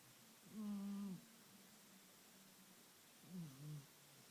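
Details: Aging house cat asleep and snoring, each breath a low, steady, nasal drone lasting about half a second, followed nearly three seconds later by a softer, wavering snore; the room is otherwise quiet.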